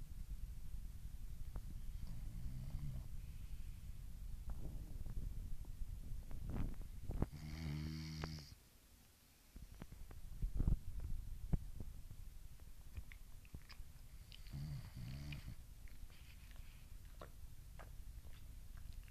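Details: French Bulldog asleep and dreaming indoors: low rumbling snores at an uneven pace, with a louder tonal groan near the middle and another near the end, then a brief quiet gap before the snoring resumes.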